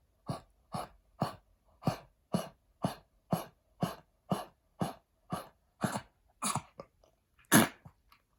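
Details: A blind senior Pekingese, his lungs damaged by heartworm, coughs during heartworm treatment in a steady run of short, harsh, dry bursts, about two each second.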